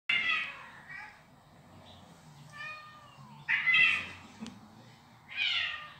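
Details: Female domestic cat indoors, edgy and defending her territory while reacting to played recordings of unknown cats; loud, bright harmonic meows with rising and falling arcs, three main bursts spaced a couple of seconds apart, with quieter calls between.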